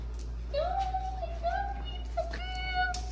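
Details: Basset hound. A basset hound whines in a long, thin, tonal cry that holds steady with small wavers and breaks. A low steady hum runs underneath throughout.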